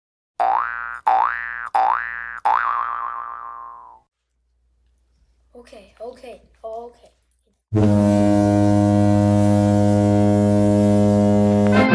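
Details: Cartoonish boing effects and a brief snatch of voice give way to a loud sustained musical tone, with no animal sounds.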